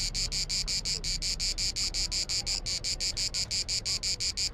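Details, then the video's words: Cicada in Croatian summer heat on the island of Bisevo, clicking in rapid, evenly spaced high-pitched buzzy pulses, about five per second, steady throughout against a faint low background rumble. "Clicking cicada"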